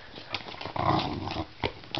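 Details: Pembroke Welsh Corgi called Tiny Tank, the smaller of the household's corgis, pulling on his rope during an indoor tug game. He gives one rough, low growl lasting under a second, between light knocks and thuds.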